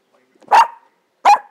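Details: Two short, sharp barks roughly three-quarters of a second apart from 14-week-old Pembroke Welsh Corgi puppies demanding a toy hidden beneath a couch, in a quiet indoor setting.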